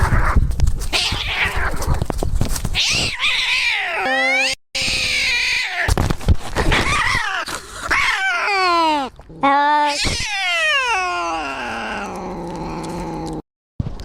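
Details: Pet cat screaming: long, loud, wavering yowls that rise and fall in pitch, with some bent and drawn-out wails and short breaks between them.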